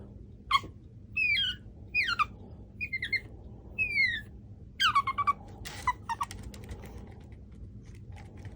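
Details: Chihuahua puppy Machiko, 4.5 months old, kept indoors, makes bird-like chirping whines to ask for attention: a run of short high rising-and-falling squeaks in quick bursts, then a few softer chirps, over a low steady room hum.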